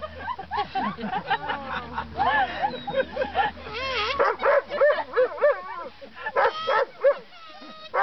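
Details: Weimaraner howling in time with Happy Birthday on kazoo, giving rising and falling, quavering howls and short yips that overlap the buzzing kazoo tune, with a low hum under the first half.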